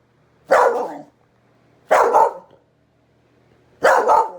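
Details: Pet dog barking at a kitten: three loud, rough barks about 1.5 to 2 seconds apart, each short and broad, in a quiet indoor room with a faint low hum.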